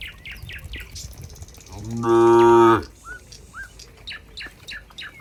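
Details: Farm cows heading back to the pen in a tidy group: a single strong, steady moo of under a second rises out of a background of busy, repeated bird chirps, with more chirping after it.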